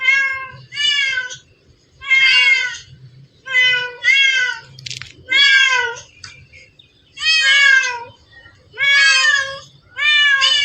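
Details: Among hundreds of cats gathered in one spot, one keeps meowing insistently: around ten clear, harmonic meows, some doubled in quick pairs, arriving at an uneven pace over ten seconds, with a soft background murmur.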